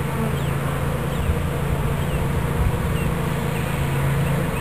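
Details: Swarm of bees in Watkinsville, Georgia, being hived into a new hive body by a beekeeper: constant deep humming drone from the massed insects, even in loudness, with occasional brief higher buzzes of single bees passing close.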